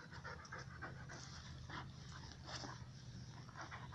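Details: Rescued Akita Maruko playing with two Pomeranians at a dog run: quick, breathy panting in rhythmic bursts a few times per second over a steady low background hum.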